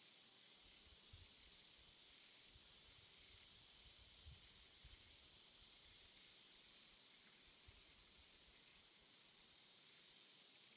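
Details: A constant high insect whine fills a jungle afternoon, steady throughout, with a broad hiss and a few faint low thumps and knocks in the background.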